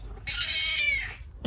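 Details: An affectionate, clingy pet cat that loves sticking close to its owners gives a single drawn-out meow lasting about a second, bright and harmonic, rising slightly then sliding down at the end, followed by a brief soft thump.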